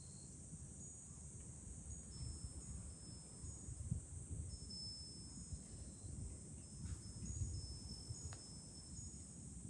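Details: A continuous shrill buzz of cicadas fills a July day on a high vantage point over Fukuoka city, Japan, with light wind-chime pings and low gusty wind rumble mixed in.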